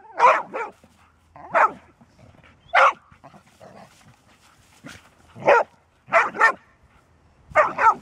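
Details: Golden Retriever barking, a rarely barking dog: loud, harsh barks in irregular bursts, some doubled, with quieter grunting and low noise in the gaps between them.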